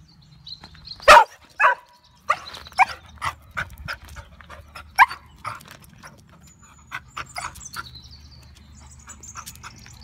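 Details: A female English Springer Spaniel, obsessed with having things thrown for her, gives loud, sharp barks, then a run of quicker, softer yaps on a bank about two feet above the water.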